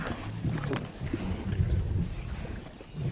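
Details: Lions of the Mwamba pride, the largest pride on the West Bank of the Luangwa River in Zambia, giving deep, low rumbling growls in a steady stream, with high thin bird whistles repeating above.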